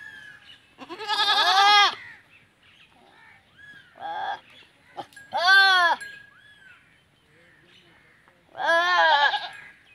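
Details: Teddy goats mating for the first time in rural Punjab, Pakistan; three loud, quivering bleats about three to four seconds apart, with a softer short bleat between the first two.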